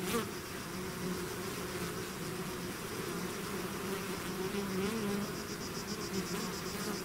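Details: Bees swarming out of the hive give a constant low drone of overlapping wingbeats. A faint, fast, high ticking pulse sits above the hum, and single bees whine past at times.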